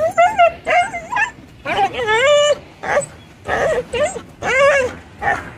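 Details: A black stray dog cries in high, wavering whimpers, some rising then falling, repeated in quick bursts about twice a second, while another stray jumps on the person filming; faint human voice mixed in.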